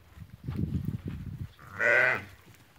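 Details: Ewes that have lambed, held for sale at a livestock market in Fqih Ben Salah. A low rumble of handling and murmur comes first, then one clear, wavering, harmonic bleat about half a second long.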